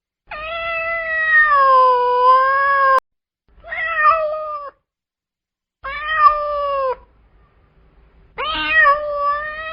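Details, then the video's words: Loud angry meowing from a domestic cat: a long wavering wail of nearly three seconds, then three shorter harsh meows with brief pauses between them. "Angry Cats Meowing Loudly"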